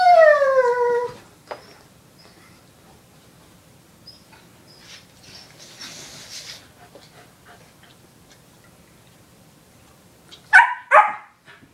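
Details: Foster puppy with its older canine companion, bonding indoors: one drawn-out descending whine at the start, a long quiet stretch with faint shuffling, then two short sharp yelping whimpers close together near the end.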